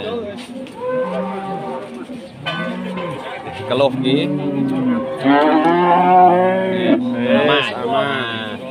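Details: Furious loose cattle after chasing residents: a series of loud, bellowing moos, some short and arching, others long and strained, overlapping one another, with faint background music.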